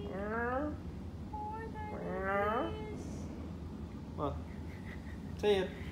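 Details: Chara, a pet cat getting a massage, gives two drawn-out harmonic meows, the second rising then falling, followed by a short chirp and a brief squeak, with a person's voice in the background indoors.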